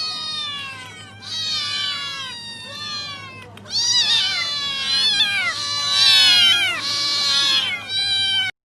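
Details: Cats meowing loudly: many high, arched meows overlap and follow one another about once a second, growing louder midway, over a faint steady low hum.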